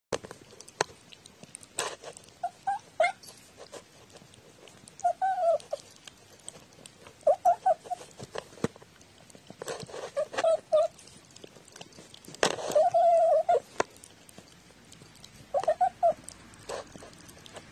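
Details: Domestic cat recorded 14 October 2017, a chatty pet whose vocalizations are playfully heard as words; five separate drawn-out, slightly wavering meows spaced a few seconds apart, with faint clicks and tapping in a quiet room.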